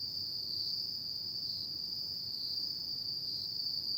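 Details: Night-time autumn insect song, a constant piercing high trill that stays level throughout, backed by faint low-frequency noise.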